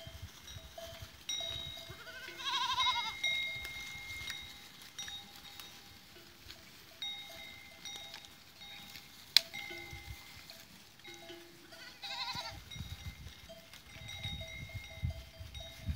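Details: Goats recorded 13 April 2023: two loud, tremulous bleats, one early and one near the end, separated by a long stretch of jingling bells and low rustling.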